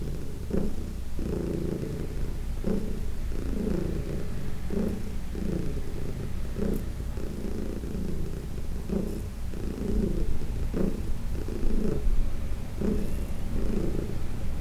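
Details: Massage-time purring from Heidi, a senior cat adopted in 2019 from the Humane Society of New York City; loud, even rumble broken into regular breath cycles about every second, quiet room.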